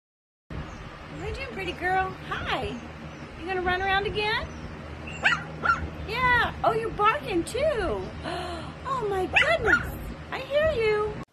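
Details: Dachshund, a sausage dog kept as a pet, giving a run of high, whining yelps with sliding, bending pitch. The calls come in short bursts, some rising then falling, repeated over about ten seconds.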